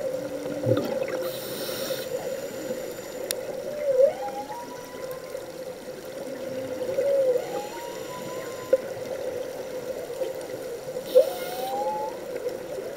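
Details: Humpback whale song recorded underwater on a scuba dive in Hawaii: three rising whooping upsweeps about every three to four seconds, each climbing from a low moan, over a constant hum and occasional bubble bursts.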